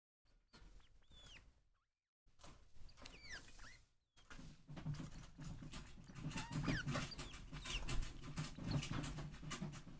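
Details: Den, a pet degu in a cage, calls for petting when its owner comes near and nibbles gently as a sign of affection; a few short rising-and-falling whistled chirps early on, then dense rustling and chewing noise.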